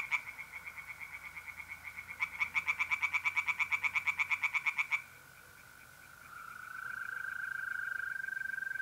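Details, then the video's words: At night in mid-April in north-east Italy, pond tree frogs give a fast series of sharp pulsed croaks, then stop, leaving a continuous even trill of mole crickets. "relaxing singing tree frogs in pond and trilling mole crickets by night"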